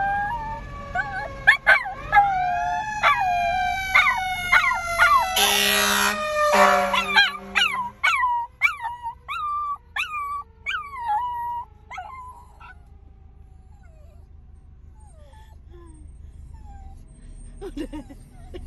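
A Miniature Schnauzer, frightened by a fire truck horn, gives a series of quick howling yelps that rise and fall in pitch. A brief, harsh horn blast cuts through early on, and the howls fade away toward the end.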